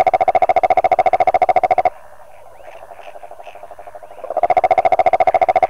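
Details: Rhinella margaritifera toad giving a steady, rapid pulsed trill of evenly spaced low-pitched notes with a brighter overtone. The trill breaks off for about two and a half seconds, leaving faint chirps, then resumes at full strength.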